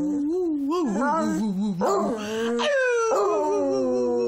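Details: Beagle singing, a loud continuous howl that wavers and slides up and down, rising into long bending notes, then holding a falling drawn-out wail near the end.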